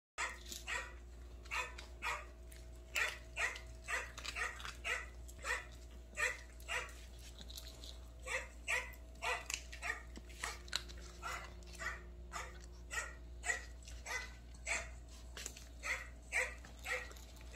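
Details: Maltese named Dubu, a ten-year-old house dog with kidney stones, fed low-protein prescription kidney food indoors beside tiger masks set up as rival eaters. Rapid, uneven series of short sharp barks, about two per second, over a steady electrical hum.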